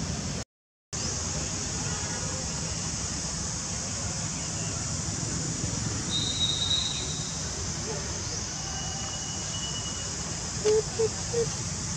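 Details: Steady broadband rumble like passing traffic, with a brief gap and faint murmured voices, no animal calls.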